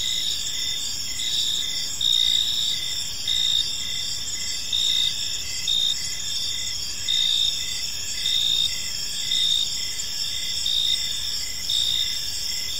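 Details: Crickets chirping on an evening in a peaceful park, a dense high-pitched pulsing chorus with steady trills and rhythmic bursts roughly every second, over a faint low background hum.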